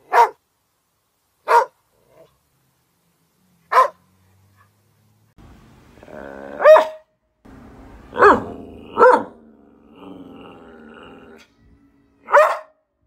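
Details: Border Collie barking in short sharp bursts, with a stretch of low humming noise and a few tonal yelps mixed in midway.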